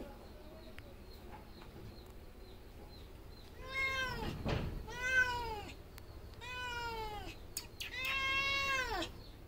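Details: Domestic cat meowing four times at intervals of about one to two seconds, each call an arched, harmonic wail that rises then falls, with a brief rustling noise between the first two.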